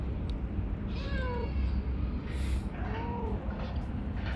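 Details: Calico cat described as very talkative and affectionate, uttering two short rising-falling meows a couple of seconds apart against heavy low-pitched background rumble.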